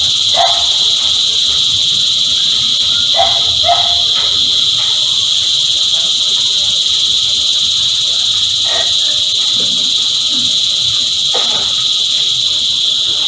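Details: A constant high buzzing from a chorus of cicadas, with several brief, abrupt calls popping up at irregular moments against the drone.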